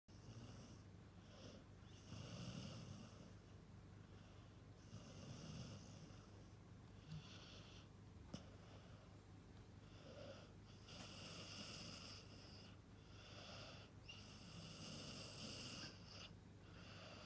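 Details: Six-month-old Golden Retriever puppy asleep and snoring, recorded up close by its nose: soft, wheezy, hissing breaths recurring every two to three seconds over a low steady hum in a quiet room.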